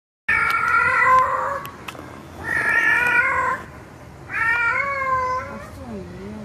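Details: Tomcat calling a female cat: three long, loud, drawn-out meows, each about a second or more, rich in harmonics and wavering slightly in pitch, separated by short pauses, in a quiet indoor setting.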